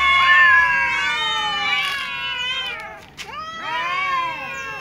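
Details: Several domestic cats, among them little cats, a tom, a ginger and a silver cat, meowing pitifully at meal time: long, overlapping, wavering meows that rise and fall, with a short pause before a fresh, drawn-out cry.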